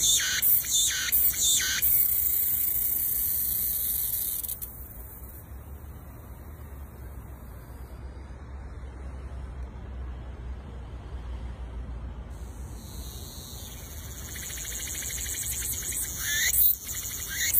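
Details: Cicadas in the wild fill the air from the trees with a dense, high, hissing drone that fades midway and swells again.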